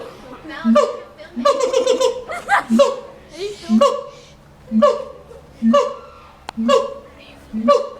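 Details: Monkey in a cage at the LA Zoo, calling in a rhythmic series of low-to-high hooting bursts about once a second, with a denser run of overlapping notes near the start.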